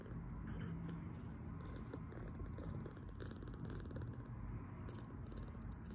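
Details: Two-week-old foster kitten, male, recovering from poor health, purring contentedly after a feeding; a steady low rumbling purr runs throughout with soft pulsing texture and no other clear sounds.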